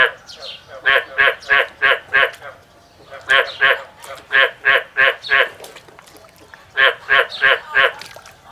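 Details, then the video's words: Male frog singing outdoors in a field, giving short bursts of four or five harsh, pulsed croaks spaced about a third of a second apart, with brief silent gaps between the bursts. "The song of a male frog in the field and the comparison of a small male frog and a large male frog"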